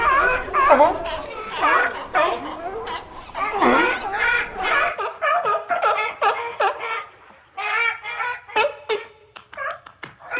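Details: Seals calling in a loud, crowded chorus: overlapping honking, barking cries with rich harmonics, dense at first, then thinning to separate short hoarse yelps and bleats in the last half.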